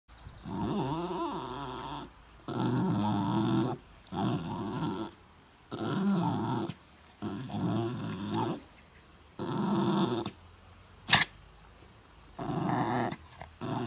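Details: Mutley, a pet dog at Bredagh, Carrigallen, County Leitrim, tries to sing despite a bad cough on 27 August 2016: rough, wavering howls about a second long, broken by short gaps and one sharp hacking burst near the end.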